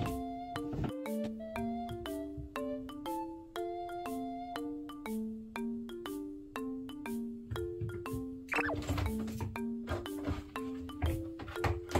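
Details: Bright marimba and glockenspiel background music plays in a bouncing repeated melody, with a burst of sound effects near the end and no animal voices.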